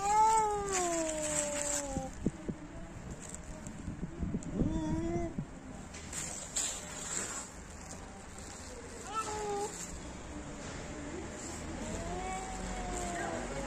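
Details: Fighting cats trade long, wavering yowls, several seconds each with sliding pitch, broken by pauses and a few shorter rising cries, over faint background noise.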